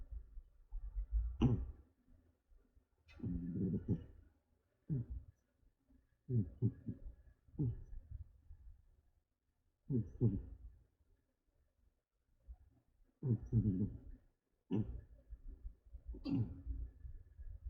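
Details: Haku, a tired female pet cat, snores in deep sleep indoors like an old man: rough, rumbling breaths repeat about every one and a half seconds, each a short throaty burst with quiet gaps between.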